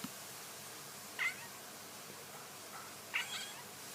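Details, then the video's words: Domestic cat making weird sounds: two short, bright meows about two seconds apart, each quickly rising and falling, over a quiet indoor background. "some weird cat sounds"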